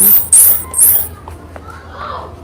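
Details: A bottlenose dolphin gives high, rising whistles in quick bursts, a signature whistle that is kind of like a name each dolphin uses to refer to itself.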